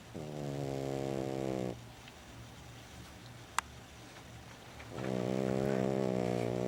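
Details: Sleeping female pet dog Lulu gives two long, raspy snores. They are separated by a quiet stretch of about three seconds broken by a single sharp click. A faint low hum runs throughout.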